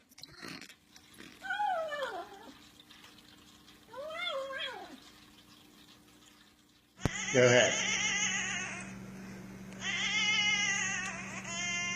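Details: Domestic cat producing weird noises: two arching meows that rise then fall, several seconds apart, followed by a louder, harsher stretch of strained, harmonic vocalising with room noise in the background.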